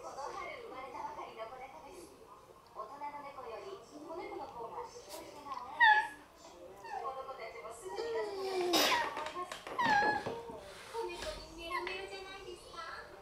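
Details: Shiba Inu dogs quietly quarrelling indoors as another Shiba wakes and joins in: wavering, moaning grumbles rise and fall in a talk-like pattern, with sharper whining notes near the middle and again toward the end.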